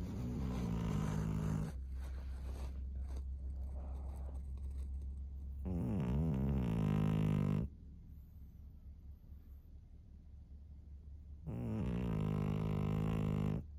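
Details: Maria, a 13-year-old fawn female pug in Japan, March 2024, breathing noisily in sleep: long rough snoring rasps about two seconds each with a low hum underneath and soft rustling between them.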